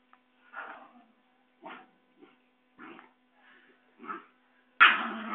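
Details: Playful Basenji puppies in Saraburi, Thailand, recorded 6 February 2011 while running to their mother; five brief rough yelping bursts about one second apart, then a louder sharp yelp at the end, with faint background hum.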